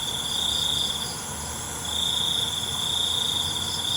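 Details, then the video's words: Crickets singing at night: a steady, high, shrill trill that dips softly near the middle of the clip and then resumes at full strength, over a faint, even background hiss. "ALUNAN CENGKERIK MALAM"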